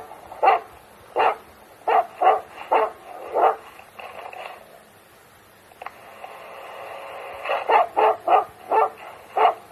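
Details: Finnish Hound on a fox hunt in Gävleborg, Sweden, on a Friday, found to be chasing a wolf; sharp mid-pitched barks in quick bursts, a quiet gap in the middle, then a renewed run of barks.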